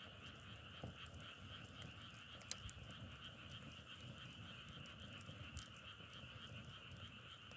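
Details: Frogs in a distant chorus, two steady bands of massed trilling running without pause, broken by sharp crackles and pops of burning firewood and a low rumble underneath.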